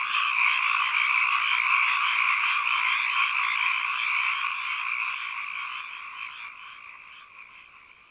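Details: Ambient chorus of frogs, rapid pulsed croaks repeating about four times a second in a dense mid-pitched trill that gradually fades out toward the end.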